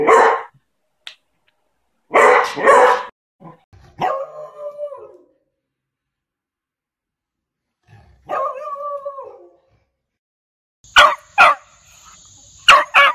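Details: Annoying, loud beagle barking mixed with drawn-out baying. Bursts of harsh barks alternate with two longer, wavering bays, each held about a second, and the clip ends with a string of sharp barks.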